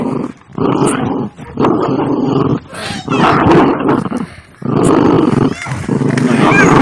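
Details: Playing dogs biting each other, giving loud, throaty growls and snarls in bursts of roughly one to two seconds, broken by brief silences.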